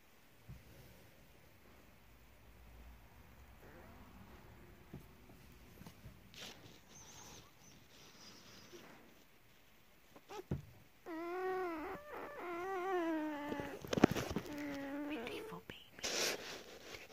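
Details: German Shepherd puppies nursing, enjoying their mother's milk: quiet shuffling for about ten seconds, then a run of high, wavering whines and squeaks that rise and fall in pitch, broken by a few sharp knocks.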